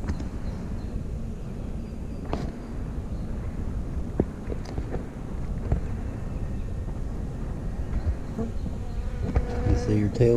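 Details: A queen honey bee inspecting a cell among her attendant workers. A loud, low, rumbling hive drone holds steady, with scattered clicks and a few handling knocks near the end.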